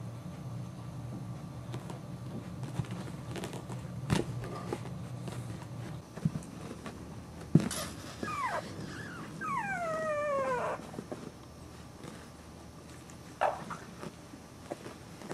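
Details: Puppy giving a short run of high, whistled whimpers that slide downward, several in quick succession near the middle, amid scattered knocks and household clatter.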